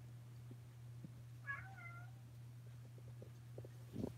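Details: Indoor kittens in Alabama filmed close-up on 28 May 2018 give one clear meow near the middle, drawn out with a slight upward then level bend. A steady low electrical hum runs throughout, and soft knocks and rustles come near the end.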